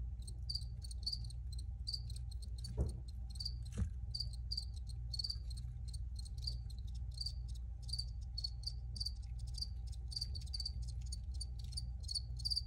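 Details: Multiple crickets keep up high, scratchy chirps in uneven pulses, some longer trills among short bursts, over a constant low droning hum, with a couple of brief soft thumps early on.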